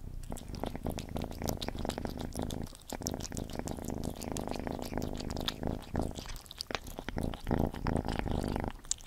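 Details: Gordy, a cat, eating: dense wet smacking and chewing clicks over a continuous low rumble, with brief pauses near three and seven seconds, recorded close up indoors.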